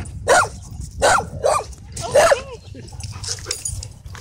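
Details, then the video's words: Dogs wrestling and playing at a dog park: four loud, sharp barks at roughly half-second to one-second spacing, then quieter scattered sounds and low background noise. "Awesome Dog Wrestling At Dog Park"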